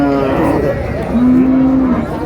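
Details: Cow at the Raniganj cattle market in Dinajpur, 2 July 2026, where cows with calves are sold: a long, low, steady moo amid loud market chatter and men haggling over price.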